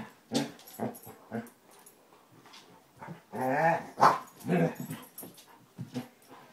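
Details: Two Basset Hounds, Tracker and new puppy Ranger, rough housing in play: irregular bursts of short barks and growly, harmonic baying, several close together around the middle, loudest near the fourth second, with scuffling between.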